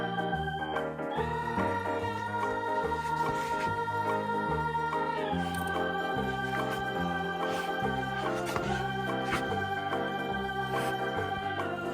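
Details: Organ-like keyboard music plays throughout, with sustained chords shifting every second or so and steady bass notes; no animal voices stand out.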